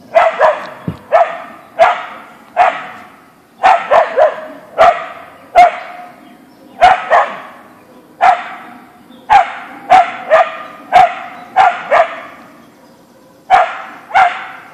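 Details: Boeing, a Siberian Husky (Ausky), barks in a backyard on meeting a deer; loud sharp barks in a steady rapid series, often paired, roughly twenty over fifteen seconds with brief pauses.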